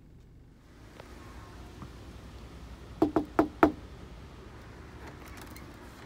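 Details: Quiet room tone broken by four quick knocks near the middle, with no animal voice.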